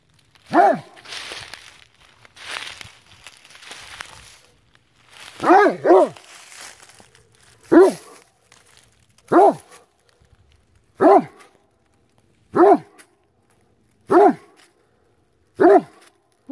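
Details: Great Dane hunting a chipmunk hiding in a tree, outdoors: after a few soft sounds and a man speaking, the dog gives a run of sharp, loud barks, some doubled, about one every one and a half seconds.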